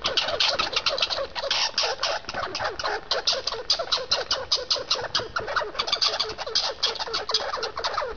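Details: Two squirrels fighting over seeds give dense, rapid chattering, a continuous stream of harsh clicking pulses with short squeaky notes packed tightly throughout, no pauses and no other sounds clearly heard.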